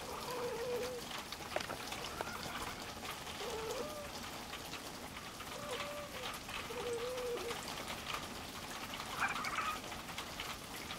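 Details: On a farm, the male cat Louie and a newly arrived small black female meet for the first time. Four short, even meows repeat roughly every one and a half seconds, followed by a higher cry, over steady rustling.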